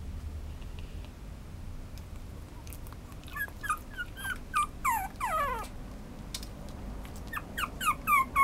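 A small Chihuahua-Papillon mix dog gives a run of high, sliding whines and yips.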